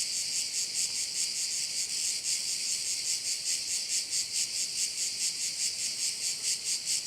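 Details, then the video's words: Crickets at one of the bays of Korčula, Croatia: a dense, shrill, high-pitched insect chorus throbbing steadily about twice a second, with no other clear sounds. "Korčula - view of one of the bays in Korcula with sounds of crickets"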